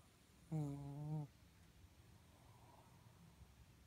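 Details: Sleeping Shih Tzu named Moka gives a strange snore: a single loud, buzzy, tonal snort lasting under a second, followed by quiet low breathing in a still room.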